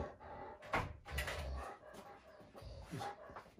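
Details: Female Great Pyrenees, strongly territorial and watchful, barking in alarm at guests once they step outside the gate; a few loud broadband barks in uneven bursts, with people saying goodbye nearby.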